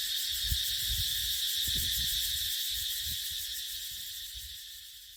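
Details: In a dipterocarp forest in the dry season, cicadas keep up a loud, even, high buzzing whine that fades slightly toward the end, with scattered low thumps of wind below.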